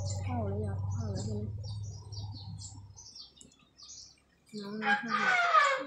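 An elephant gives a long, low droning rumble, then a louder, harsher, rising call, with birds chirping behind.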